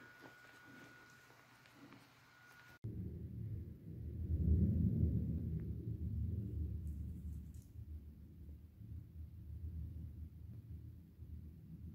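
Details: A soft steady tone gives way after a sharp click to a low indoor rumble, with no animal call audible.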